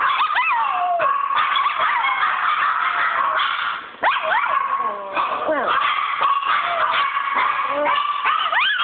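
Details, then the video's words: Pet dog Chi Chi keeps up a whining howl of sliding, quavering notes that swoop up and down between yips, while a person's voice asks about the kitty. "Chi Chi howling"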